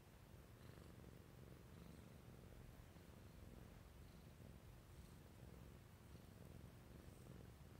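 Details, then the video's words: Burmese cat purring while sleeping indoors, a soft steady low rumble running continuously throughout with no other clear sounds. "Sleeping with a Burmese Cat"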